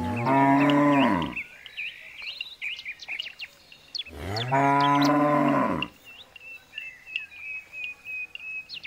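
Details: Jumbo bull calling with two long, loud moos, each about 1.3 seconds, arching in pitch with rich harmonics; small birds chirp and tweet between and after the calls.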